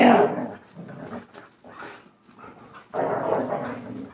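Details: Two pit bulls scrapping over a toy during play. Steady, grumbling growls rise and fall, dip near the middle, then build again, mixed with a woman's voice.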